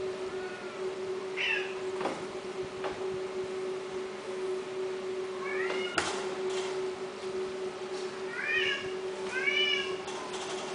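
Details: Himalayan kittens meowing indoors: a series of short, high, rising-then-falling mews, some in quick pairs, scattered through the clip over a steady low electrical hum, with a few clicks and knocks.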